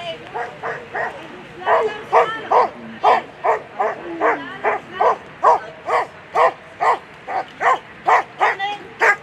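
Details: German Shepherd Eva v Tjackleger Fährweg running an agility course at a World Championship on Sunday, barking in a fast, insistent string of sharp, evenly spaced barks, more than twenty in nine seconds, with a faint whine in the background.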